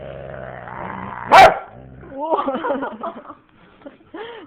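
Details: Husky and boxer playing; a low rumbling growl breaks into one sharp bark, followed by a run of wavering, yodel-like whines and a final short, arched moan.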